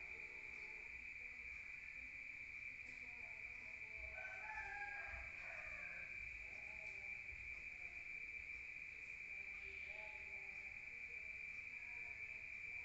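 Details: Crickets chirping at night in a rural area, heard from indoors: a constant high ringing trill runs throughout, joined midway by brief lower murmuring, crow-like sounds and a few soft knocks.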